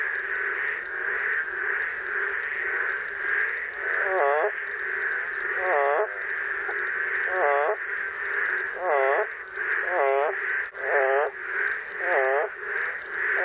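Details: Boreal digging frogs in Korea calling in a steady chorus, one voice cracking into wobbling, hoarse, off-key notes as if its voice were hoarse.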